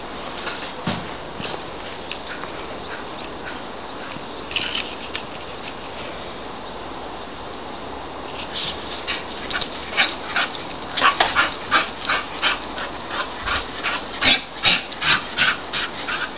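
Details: Ruby, an English Bull Terrier excited by a Labrador heard over next door, starts with scattered faint squeaks, then builds into a fast, steady run of sharp yelping whines in the second half.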